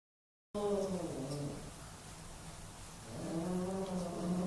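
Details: Two male pet cats fighting for dominance: a low, drawn-out, wavering yowl that sags in the middle and swells again toward the end, after a short silent start.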